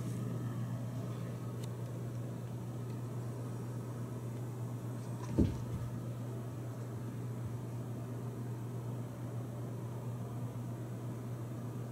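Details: A steady low electrical hum fills an indoor room, broken once by a single sharp click; no animal calls.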